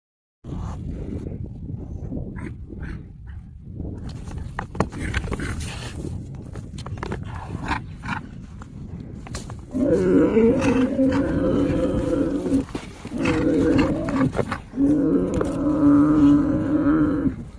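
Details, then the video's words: Himalayan yak in the high-altitude Himalayas: after about ten seconds of rumbling, rustling background, several drawn-out, harmonic lowing calls, each a second or two long, follow one another with brief pauses. "Yak Animal Sound: Discover the Unique Call of the Himalayan Yak"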